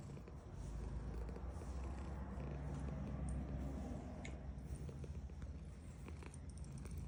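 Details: Female domestic cat purring while being petted; a steady, deep, even rumble that swells after the first half second and holds throughout, with faint soft rustling and light clicks higher up.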